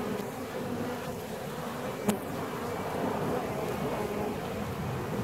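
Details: Honeybees in a beehive 17 days after the colony was split, giving a continuous low buzzing drone with layered harmonic bands; a single sharp click cuts in near the middle.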